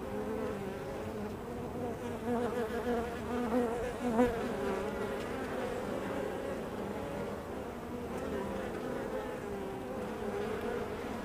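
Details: Honey bees at the hive entrance: a dense, steady hum of many overlapping wings, with low droning tones layered under brighter harmonics and a louder bee passing close just past the four-second mark.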